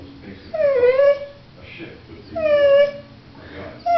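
A dog whines in long, tonal cries about two seconds apart, each sliding down slightly before lifting again. The plaintive sound is her way of asking to play.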